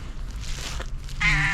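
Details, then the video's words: Calico cat riding on a motorcycle meows at the sight of food: a short, harmonic, slightly nasal meow near the end, after a woman's soft talk about breakfast and food. "When cat on the motorcycle saw the food, it started meowing with an funny sound"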